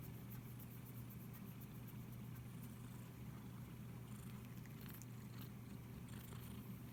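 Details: Cat stroked by hand and filmed with an iPhone SE, giving a constant deep purr-like drone that stays even throughout, with scattered soft brushing and handling noises over the top.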